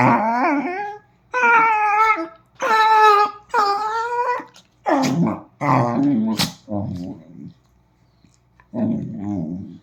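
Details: Pet Dachshund from a household with dogs Kiko and Choco gives a run of four drawn-out, grumbling growl-moans with wobbling pitch, followed by human speech and a few fainter dog grumbles near the end.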